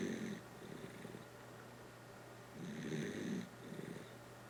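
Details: Kotaro, a Dachshund, asleep and snoring, with two rough breathy snores about two and a half seconds apart, each carrying a thin whistled edge, over a low constant hum.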